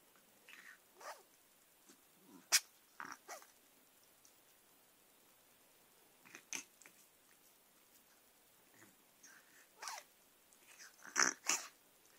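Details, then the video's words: Indoor Persian cat attacking pen and paper while making odd noises: scattered short, breathy snorts and sniffles, some sharp and clicky, coming in irregular bursts with quiet gaps between them. "snorts & sniffles"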